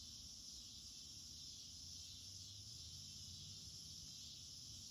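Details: Cicada chorus on August 9, 2026, in a garden with a pond, calling throughout the day: a steady, dense, high-pitched buzzing hiss without breaks, over a low rumble, perhaps from an air conditioner.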